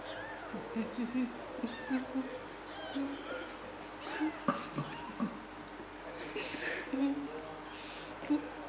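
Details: Three-day-old kittens being cared for indoors, with a four-month-old kitten named Pilt showing interest in them; thin, high mews come in brief scattered bursts, partly covered by people talking nearby.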